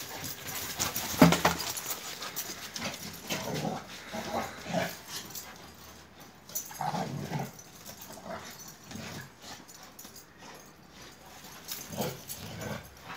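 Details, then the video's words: Akbaş shepherd dogs Zeyna and Güdük Reis at play in Turkey, giving rough breathy snorts and low grumbling bursts in irregular clusters, with a loud scuffle near the start and quieter gaps between bouts. "AKBAŞ ASİL KANGAL ZEYNA VE GÜDÜK REİS OYNUYOR"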